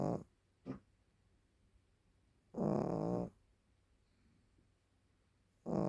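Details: Sleeping Maltese, over ten years old, giving long, harsh snoring breaths about a second long, separated by quiet pauses, with one brief soft snort early on.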